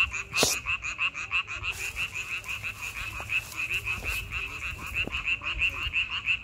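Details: Frogs croaking in May: a loud burst opens, then a steady chorus of quick, evenly pulsing high croaks continues, with occasional faint clicks beneath.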